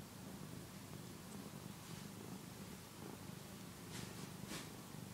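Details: A one-year-old male cat purring indoors while nursing on the soft fabric of a housecoat; steady low rumbling purr throughout, with a couple of faint clicks near the end.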